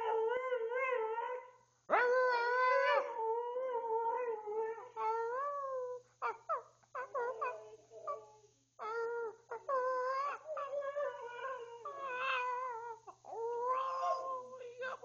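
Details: Tuscany, a 12-year-old family Siberian Husky, gives a drawn-out, talkative howl when urged to speak: a sustained opening wail, then many short, rising and falling yodel-like bursts with brief breaks.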